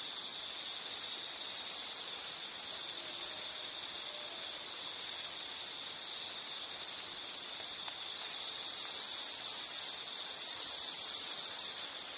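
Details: Insect calling with a continuous, shrill, high-pitched trill held at one steady pitch. The trill runs unbroken for twelve seconds, grows slightly louder and shifts a little higher near the end, and nothing else is heard.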